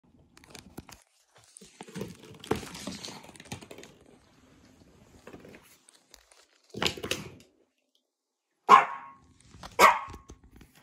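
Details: A Pomeranian, barking at a bird indoors, gives two or three sharp, high yaps about a second apart near the end, after stretches of rustling and handling noise.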